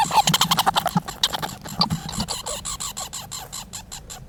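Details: Squirrels making noise: fast, irregular harsh chattering pulses, dense at first and then settling into a more even rhythm of raspy clicks.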